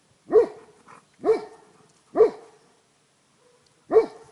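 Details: Tornjak dogs Lord and Sika Vala Liburna from Rečica, filmed 31 July 2011, giving four single deep, resonant barks spaced roughly a second apart, each with a short fading tail.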